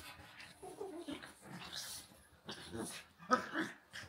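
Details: A pug, Walter, and a husky, Rhett Butler, play-fighting; low rumbling growls and breathy snorts in quick overlapping bursts, with a sharper yelp-like peak near the end.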